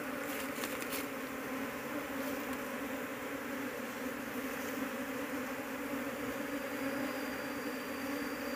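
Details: Honey bee colony of Apis cerana humming as the hunt for its queen is abandoned, the colony being too large; constant deep buzzing drone, with short rustles early on.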